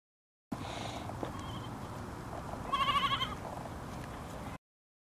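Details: Goat giving a single short, wavering bleat with a quivering tremolo, heard midway through. Before and after it there is only a low background rumble and hiss.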